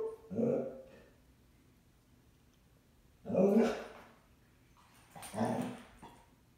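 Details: Basset Hound Wentworth, upset because his owner went out on errands without him, gives three deep, hoarse single barks spaced roughly two and a half seconds apart, with quiet between them.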